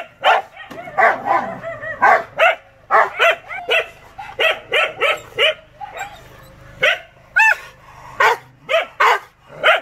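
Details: Furious Rottweiler barking steadily, short harsh barks in irregular runs, with one rising yelping note near the end.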